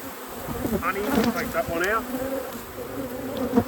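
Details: Honey bees in a beekeeper's apiary during a hive inspection: a steady, low droning hum with a fainter overtone above it. Soft human voices murmur faintly in the background.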